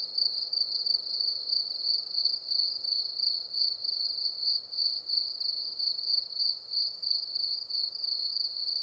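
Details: Krauss's bush-cricket at Solnhofen, Germany, in June 2021, heard through an ultrasound detector: a continuous, thin, high-pitched buzzing train of rapid pulses, pulsing faintly in loudness, with no other sounds.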